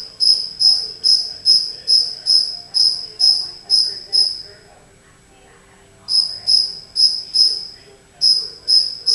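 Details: A cricket that wandered indoors into a house, hidden somewhere unseen, chirps in clear high pulses about twice a second, a run of steady chirps broken by a pause of nearly two seconds before resuming.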